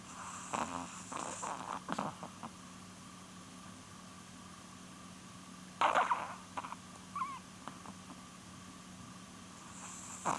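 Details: Snoring from Polun, a female chihuahua close to twelve, asleep: irregular snorting, wheezy breaths with one sharper rasp midway and quiet gaps between, a constant low hum underneath.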